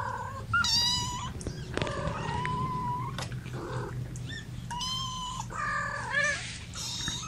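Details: Domestic kittens, part of a litter of five born April 14th to mother cat Gamora, held in a lap indoors on May 10, 2018, giving a string of high, clear mews with ringing overtones, several short calls in quick succession over a low steady hum.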